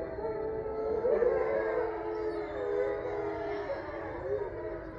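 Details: Eight resident grey wolves at Wolf Hollow in Ipswich, Massachusetts, howling together under a full moon on November 27, 2023. Several long, wavering tones rise and fall and overlap into a dense, continuous chorus.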